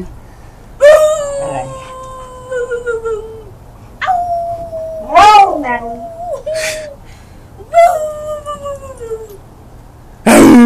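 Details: Domestic dog giving long, tonal howl-like barks that slide downward in pitch, about four separate calls spaced a few seconds apart, with a person's encouraging voice before and after in a quiet room.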